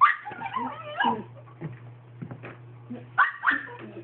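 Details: Toy Manchester Terrier dog, a pet, giving a string of short whiny yips and whimpers rising and falling in pitch, with two louder yelps near the end over a steady low electrical hum.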